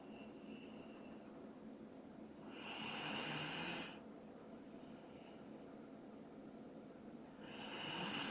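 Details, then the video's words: Dobermann named Doran snoring while asleep indoors: two long breathy, hissing snore bursts about five seconds apart, quiet room between. "도베르만 코골이"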